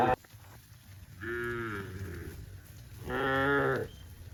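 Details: Cows among dozens of tame cattle in green rice fields on a farm give two harmonic moos, a shorter lower one then a louder, brighter one about two seconds later, over a low background rumble.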